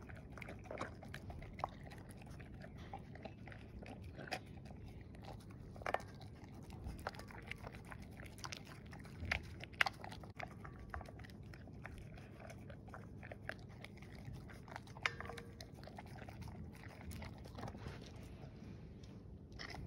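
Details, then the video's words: English Springer Spaniel female at her evening meal of kibble and cooked beef, ears kept back by a snood; steady quiet chewing with intermittent louder crunches and clinks in a small indoor space. "ASMR Dog Eating Her Kibble and Cooked Beef"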